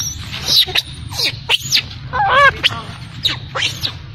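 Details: Crying of a baby macaque left by its mother: thin high squeaks and descending whines in quick irregular bursts, some wavering harmonic wails midway, over a constant low hum.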